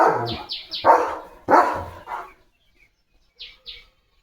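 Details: German Shepherd named Leo, playing with a water mug held in his mouth, gives a quick run of about six sharp, mid-pitched barks in the first two seconds, then goes quiet apart from a few faint high squeaks.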